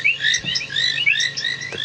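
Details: At sunset on a cloudy, dreary 23 February 2017 near a South African dam, painted reed frogs give sharp, high ticking calls in a dense mixed-frog chorus. The frogs are calling to find mates.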